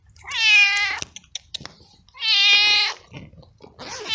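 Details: Lone stray male cat, soaked by hours of rain, cold and frightened, calls for food with loud drawn-out meows; two strong harmonic cries about two seconds apart, a third beginning at the end, with light clicks between.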